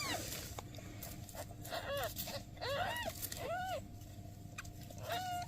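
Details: Newborn kittens with their mother cat, who is asking for help; a run of high-pitched, arching kitten mews, several in quick succession, then a longer flat cry near the end, over constant low hum.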